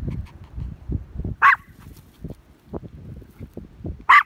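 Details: Small Maltese dog chasing a herd, two isolated sharp yaps several seconds apart amid low thuds and rustling movement.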